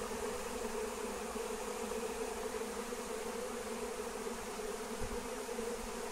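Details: Massive wild honeybee swarm, flying, during a capture with Melissa (lemon balm): a constant humming drone of a great many bees, its pitch steady, with a light airy hiss behind it.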